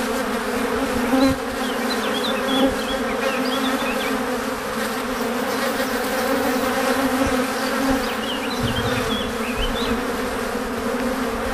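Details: Dense, continuous drone of many honey bees returning to the hive laden with pollen and nectar, a thick, even buzz with layered low tones, while small twittering birds chirp faintly in bursts around one to three and eight to nine seconds.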